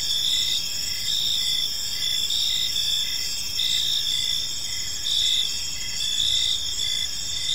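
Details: Several crickets chirp in a park on an evening, a dense high-pitched chorus of steady trills with short pulsed chirps repeating underneath, over a soft low rumble of background noise.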